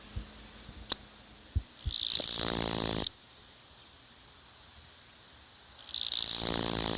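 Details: Japanese katydid in a newly developed housing area in Japan's Tokai region, unafraid and singing on with the camera close; two long, loud, grating buzzy trills, each over a second, separated by several seconds of near silence, with a few soft taps.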